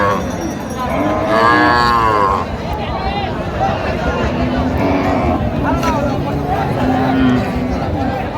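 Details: At Raniganj market in Dinajpur on 20 October 2025, a cow kept with her calf gives a full, drawn-out moo that swells and fades, followed by market chatter, bargaining voices and crowd noise.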